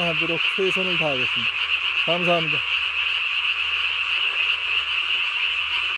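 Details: Tree frogs calling at night on 3 May 2020, the throat vocal sac inflated nearly as large as the body; a dense, steady, high-pitched trilling chorus runs throughout, with a few lower, falling, harmonic-rich notes in the first three seconds.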